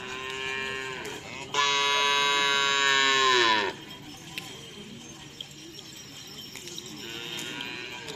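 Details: Cattle at karapan sapi bull racing practice in Asemanis, Pamekasan, Indonesia; a rich, buzzy moo held steady for about two seconds after a softer lowing call, then outdoor crowd noise and occasional knocks.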